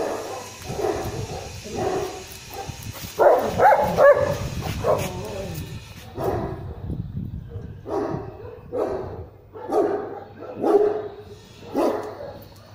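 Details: German Shepherd in a guard test facing provocation: spaced, forceful barks every second or so, growing sharper toward the end, with a man's voice talking over the first half.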